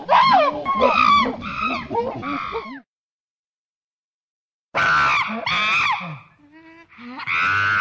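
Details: Monkey shouting while others eat: loud, harsh, strongly harmonic screeching calls in rapid bursts. A two-second silence follows, then another run of rising and falling shrieks.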